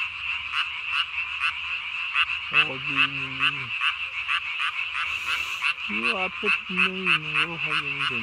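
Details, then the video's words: Japanese tree frog at night, 3 May 2020, calling with its chin vocal sac swollen as big as its body; rapid, unevenly spaced rasping pulses, joined midway by drawn-out lower croaks that bend downward. "밤에 우는 청개구리 울음판이 몸통 만큼 크네요?"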